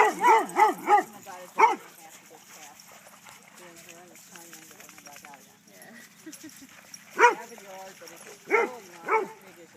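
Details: Kaido barks at a dog park, eager to play and be chased. A quick burst of four yelping barks opens, then a woman talks, then single barks return in the last few seconds against outdoor ambience.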